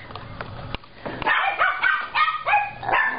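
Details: Long-coated chinchilla Chihuahua puppy, a male, barking indoors while its owner tells it not to bark; a quick run of high, bright yips repeated about three times a second, after a soft muffled start.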